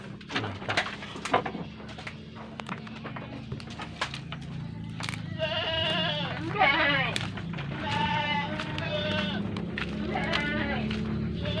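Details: Javanese goats, red-headed Randu and black-headed types including a male and a female, at Ngemplak village, East Java; wavering harmonic bleats from about six seconds onward, repeated several times, over low engine-like hum and a man speaking.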